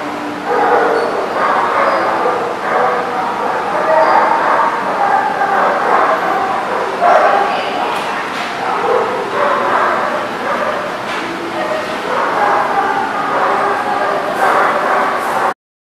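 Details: Several dogs bark and yip together in a recording dated 14 September 2018. Sixteen seconds of unbroken, overlapping barking, with a few sharper clicks or knocks near the end.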